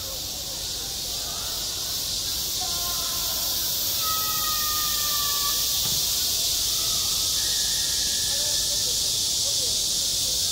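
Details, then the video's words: Midsummer cicada chorus over a school sports ground, a constant shrill buzzing wash filling the upper range without pause; faint sliding voice-like tones drift in the background. "한 여름 운동장에서 매미가 울고 있다"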